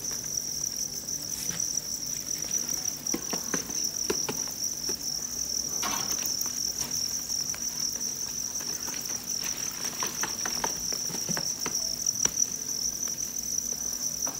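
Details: Field crickets bred at a cricket farm in Nam Định and Hà Nội, Vietnam, produce a continuous piercing, high chorus, even in level, with a run of faint clicks and taps in the middle.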